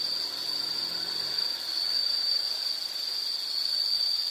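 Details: Insect chorus from a nature recording: one continuous high, thin ringing trill held evenly for the whole stretch, with a faint low rumble early on.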